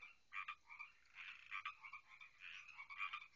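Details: Many frogs calling on a night by a backyard pond, loud enough to be heard indoors; overlapping nasal, buzzy croaks and trills pulse continuously from several animals at once.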